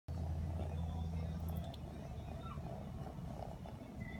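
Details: A sleepy 4-month-old blue British Shorthair kitten purrs in a deep, steady rumble close to the listener; it also sneezes.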